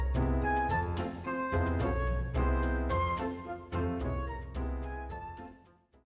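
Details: Instrumental background music with flute, brass and orchestral tones, in a steady rhythmic pattern of repeated notes; no animal sounds are heard.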